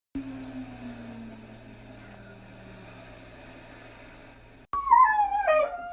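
A Siberian Husky breaks into a wavering, falling howl in answer to a tornado siren.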